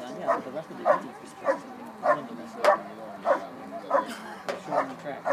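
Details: Dog performing a bark and hold at an IPO event, 2013 Schutzhund USA Nationals: sharp, evenly paced barks repeating about every 0.6 seconds, nine in quick succession, with a faint murmur of background voices.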